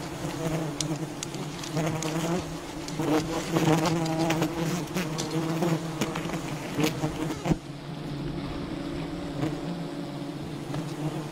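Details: Swarm buzzing of a wild bee colony as honey is gathered, continuous layered hum with stacked harmonics, frequent clattering taps in the first half, the drone easing and thinning after about seven and a half seconds.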